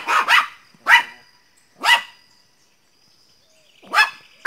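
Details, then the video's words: Teco the Pinscher barks loudly, single sharp high yaps spaced about a second apart, a double bark at the start, then a longer gap before two more barks. "pinscher latindo bravo - pinscher latindo alto - cachorro pinscher latindo"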